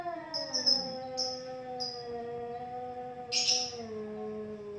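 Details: Two domestic cats in a standoff fight, long drawn-out harmonic yowls sliding slowly downward and overlapping, with brief sharp high hissy bursts breaking in near the start and toward the end.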